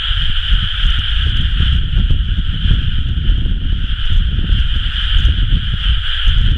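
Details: Rice-paddy frogs in full chorus at planting time, late May 2011; countless overlapping calls merge into a continuous droning trill, partly masked by strong low-pitched wind rumble.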